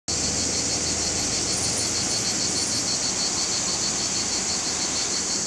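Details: A chorus of male cicadas sings in July 2020 near Larissa, Greece, a continuous, piercing, high-pitched buzz, finely pulsed and steadily loud, with a faint low rumble beneath.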